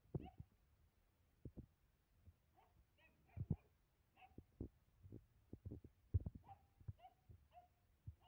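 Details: German Shepherd puppies at play indoors, giving short high whines and yelps scattered among soft thuds and scuffling of bodies in a small room.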